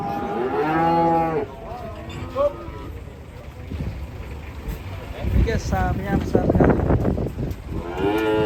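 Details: Raging fat cattle in Indonesia: a strong, long bellowing moo opens, followed by shorter lowing calls, a stretch of thumping and scuffling noise, then another loud rising moo at the end.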